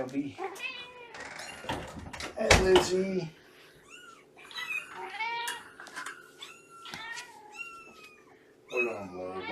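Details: Adult female cat, about two years old and mother of three-month-old kittens, heard during a morning visit indoors; several short rising-falling meows follow a woman's speech, with a steady background hum.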